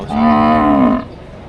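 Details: Cattle at a livestock market in Padre Garcia, Batangas, Philippines, with cows and heifers offered for sale, January 3, 2025: one loud, steady, tonal moo lasting about a second, its pitch rising slightly before it cuts off, over faint crowd murmur.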